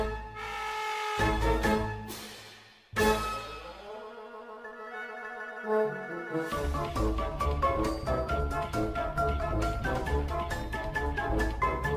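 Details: Cheerful instrumental music with mallet percussion and orchestral tones plays throughout, with no animal sound.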